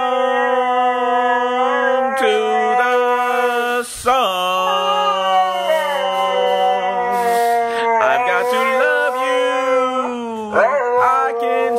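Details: A Siberian husky gives drawn-out, tonal howls that slide up and down and hold steady between glides, singing along with its owner's singing voice in a sustained duet.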